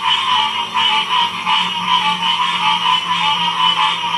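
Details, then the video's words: Frogs calling in a thick chorus at Ocean Springs, Mississippi, 2016, a continuous throbbing wall of trilled croaks that swells and fades in regular pulses, with a low steady hum underneath. "Frogs chorus ratural sound"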